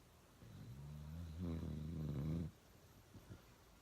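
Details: Uno, a dog, snores loudly in one long drawn-out breath that swells from a soft low hum into a coarse, rattling rumble, then stops abruptly; a couple of faint clicks follow.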